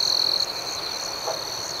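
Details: Night cricket chorus. A short, loud, buzzy trill at the start fades into a continuous high, even ringing from many insects, with soft pulsing above it.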